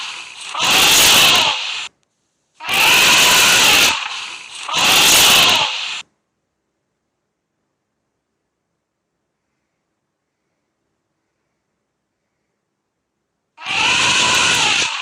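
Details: An elephant trumpets in loud, harsh, brassy blasts, three in quick succession, each over a second long with bright overtones; after several seconds of silence a fourth blast follows.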